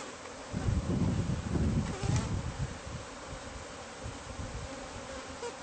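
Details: Bees from a hive hidden inside the walls of a newly bought house, disturbed during removal; a steady low droning hum with layered tones, overlaid by heavy rumbling handling noise in the first two seconds.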